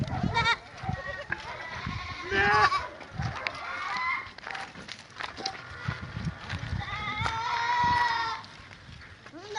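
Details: Goats on a farm; several overlapping wavering bleats, some long and quavering, rise and fall throughout, with low thuds, rustling and voices mixed in.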